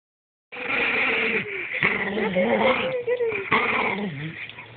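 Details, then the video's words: Django, a pet dog, protests while being teased by a girl who found him in a compromising position: drawn-out whining and yowling moans that rise and fall continuously, with a voice overlapping. "My Daughter Teases Our Dog, Django, Who Strongly Objects."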